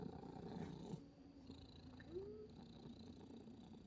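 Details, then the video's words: Sleeping pet cat making strange noises in its sleep: a low, steady purring rumble with a brief rising squeak-like sound in the middle, recorded quietly indoors. "잘때 이상한 소리내는 고양이"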